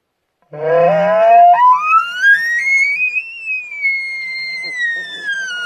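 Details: A bull elk bugles close by on a morning elk hunt in British Columbia: a low grunting start that sweeps up into a long, high, fluting whistle.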